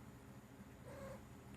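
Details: A 4-year-old male silver Bengal cat gives a short, quiet, level meow, talking back after being scolded for biting.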